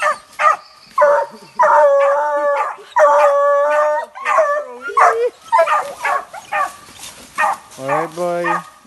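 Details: Hunting dogs barking at a manicou during the 2020-2021 hunting season: loud, harmonic barks and drawn-out howling yelps in rapid, uneven series, about 105 per minute, with a man's voice calling in between.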